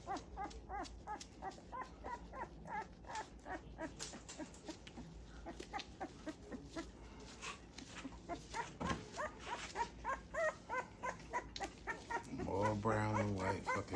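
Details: Two-week-old Great Pyrenees puppies during their first bath, whimpering in a quick run of short, high, wavering cries that overlap and repeat several times a second; a man's voice speaks near the end.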